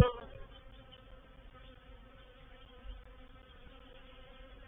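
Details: Honey bee reproductive swarm entering a swarm trap at Painted Peacock Manor on 04/07/21, a continuous even buzzing drone with stacked harmonic tones, unbroken and steady throughout, with no other animals heard.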